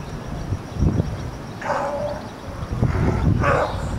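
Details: California sea lions on a floating dock by Old Fisherman's Wharf, Monterey, California, 21 March 2013, give hoarse, honking barks in short bursts over low rumbling background noise.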